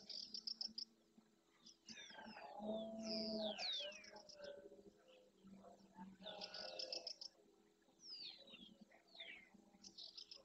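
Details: Breeding red deer stag roaring at dawn beside his herd of hinds and young in the Doñana marshes, Andalusia, Spain, during the rut, claiming territory and harem; a loud, deep, drawn-out bellow is followed by a second shorter one, with many songbirds calling throughout.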